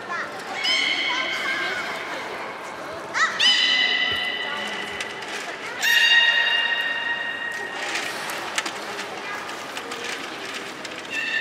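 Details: Belugas from the aquarium's children's team playing as they are moved between pools at Port of Nagoya Public Aquarium, November 2017: three sharp-onset harmonic squeals a few seconds apart, each held steady, over low indoor background noise.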